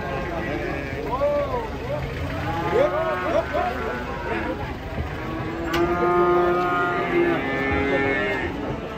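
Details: An enraged bull being led into a market in Indonesia with people watching. It gives loud, wavering moos that bend up and down, then a long, flatter bellow. Market noise and voices run underneath throughout.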